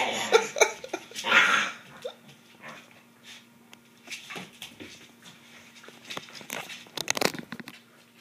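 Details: A corgi playing tug with a Doberman lets out rough, noisy growls in quick bursts, with scuffling sounds between them.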